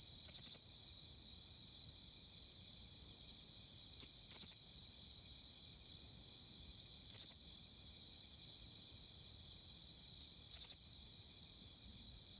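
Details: Autumn song of a matsumushi cricket: ringing high-pitched chirps in short bursts of two or three, spaced irregularly a few seconds apart, with softer sustained tinkling between bursts and a quiet background.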